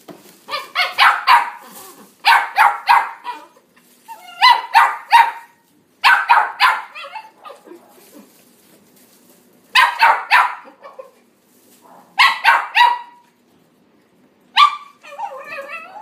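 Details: Red male Toy Poodle, born January 2019, delivering repeated clusters of sharp high yapping barks, three or four at a time, with short silences between bursts over about sixteen seconds.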